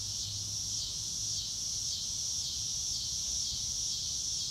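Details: Crickets on a clear blue-sky day in grassy countryside make a steady, high, shimmering trill with a faint pulsing swell about twice a second. A soft low rumble sits underneath.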